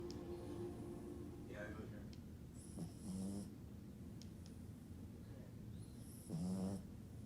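A French Bulldog snores with low, rumbling breaths that rise in rough bursts every few seconds.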